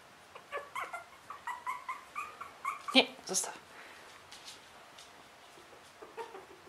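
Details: Three-week-old Russian Toy puppies giving short, high, squeaky whimpers in a quick series of about a dozen over three seconds, then a sharp click, and a few fainter squeaks near the end.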